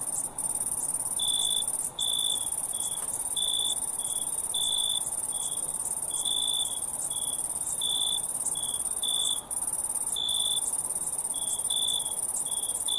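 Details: Crickets keep up a continuous thin, high-pitched trill while a lower cricket gives rapid strings of short buzzy chirps, several per second, for most of the stretch.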